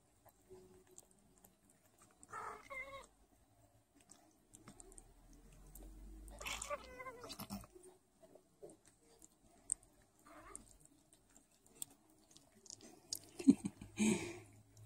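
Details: A Sphynx kitten, one of a litter of five being bottle-fed because the mother lacks milk, gives a few high, thin meows separated by quiet pauses during bottle feeding.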